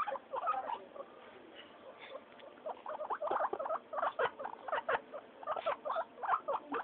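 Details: During their weekly floor time, noisy guinea pigs Mayumi, Archie and Miyuki: after a quieter start, a steady run of short, bright squeaks repeats roughly twice a second, with faint scuffling beneath.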